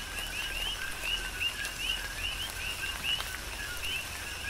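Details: Chorus of coqui frogs during a tropical rain shower on the Big Island of Hawaii: overlapping two-note calls, a short lower note then a higher upswept note, repeated steadily, over a soft hiss of rain and scattered drip clicks.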